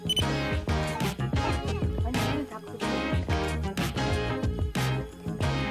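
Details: Instrumental music with a steady beat and layered tones plays throughout, with no animal voice standing out.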